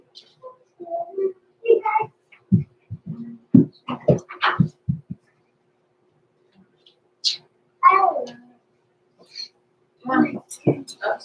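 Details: Six-week-old blenheim Cavalier King Charles Spaniel puppies, Roman and Blue, born November 14, 2022, overnight in an indoor puppy pen: bursts of squeaky whines, yelps and short mewing cries in clusters, separated by quiet gaps, with a faint steady hum.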